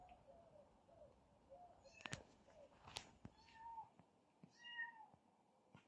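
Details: Kitten Zerro scuffling with his brother: a string of soft, low mews, then clicks and bumps, followed by longer, clearer drawn-out meows rising and falling, each about half a second long.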